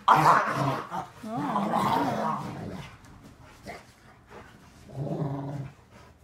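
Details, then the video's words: Rottweilers play-wrestling indoors in a living room: rumbling growls with a wavering, rising and falling pitch. Then a pause with light scuffles, and a shorter deep growl burst near the end. "Rottweilers wrestling"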